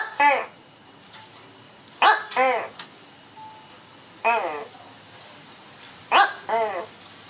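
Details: A tokay gecko (Gekko gekko) in Banlung answers playback of its own recorded call with loud, croaking two-part barks, each followed by a short pause.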